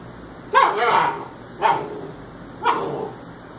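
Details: Puppies 61 days old, playing; three short yips or barks about one second apart, with a woman speaking nearby.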